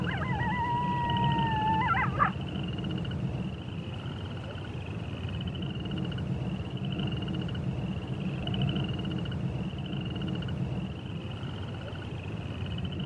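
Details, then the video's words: Brief wolf howl at the start, two overlapping tones held level for about two seconds and then cut off. A high insect-like drone and low rumble carry on alone afterwards. "Wolf Sounds"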